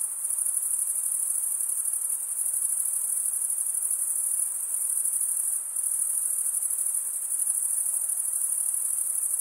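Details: Night-time cricket chorus in a summer forest: a constant shrill ringing sustained for the whole stretch, with a brief slight dip in intensity partway through, over a low, soft hiss.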